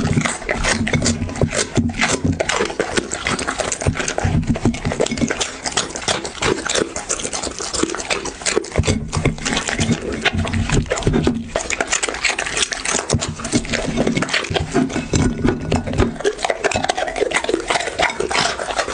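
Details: Dog eating close to the microphone, recorded as an ASMR piece: continuous dense crunching and wet chewing clicks, irregular bursts of smacking with brief pauses, a low steady hum underneath throughout.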